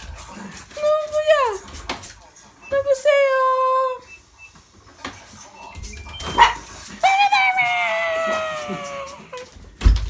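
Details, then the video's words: A pet Malshi poodle greets its returning owner, whom it has awaited since 6 a.m., with long, drawn-out whining howls that slide downward, several in a row, mixed with excited human chatter. "Malshi Poodle Welcomes Home Papa"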